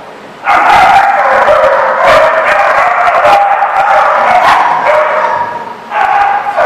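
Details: Dogs recorded in Rhode Island on 3 March 2014, a loud, dense chorus of overlapping barks and yips running almost without pause, with one brief lull.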